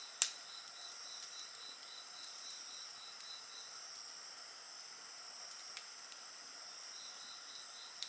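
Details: Shrill, unbroken insect chorus with a quick pulsing trill that fades and returns, next to a bonfire that snaps sharply once at the start and crackles faintly afterwards.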